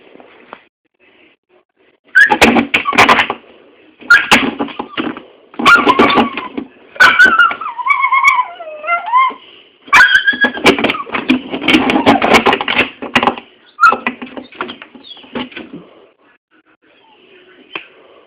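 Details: Dog making funny sounds indoors: bursts of noisy, grumbling vocal sounds with a few wavering whine-like tones, in clusters over about eleven seconds with quiet gaps.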